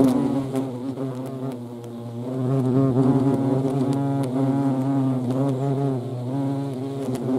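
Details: European hornets (Vespa crabro) in action, their low humming buzz swelling louder after the first seconds, overtone bands rising and falling as wingbeats shift.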